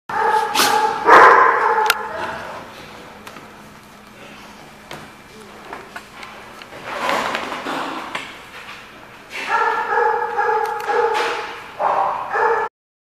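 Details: Dogs barking at a dog facility, loud harmonic barks in bursts near the start and again after nine seconds, with a quieter stretch of low murmur and scattered yips between.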